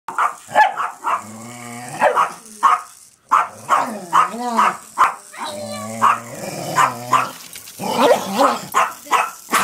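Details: Two pet dogs, Patrick and Mia, barking at a Hexbug toy and flipping it over; sharp repeated barks in quick bursts, mixed with low drawn-out growling whines between them.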